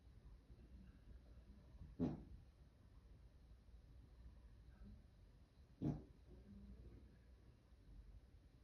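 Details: Sleeping dog Louie gives two short, sharp snorting snores about four seconds apart, with faint low breathing between them in a quiet indoor space.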